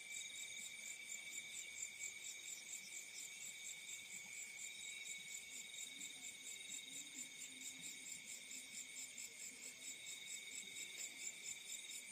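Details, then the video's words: Crickets in fields at night produce an unbroken, bright, high trilling chorus with quick even pulsing and a few soft low murmurs beneath. "The Sound of Crickets in the Fields at Night"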